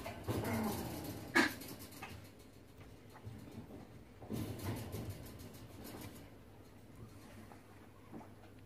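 A Maltese puppy gives soft whimpers and small yelps in a few short bursts.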